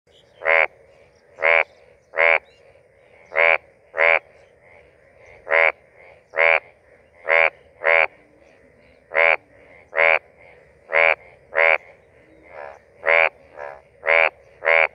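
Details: An Indian bullfrog (Hoplobatrachus tigerinus) near Rajaji National Park, India, gives a mating call: a steady series of loud, nasal, rasping croaks, each short and about a second apart, with fainter croaks from other frogs between them.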